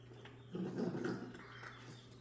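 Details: Jack Russell Terrier puppies, recorded 3/7/2024, let out a brief low rumbling growl lasting under a second, rough with a faint tonal edge, over a steady electrical hum and scattered soft clicks.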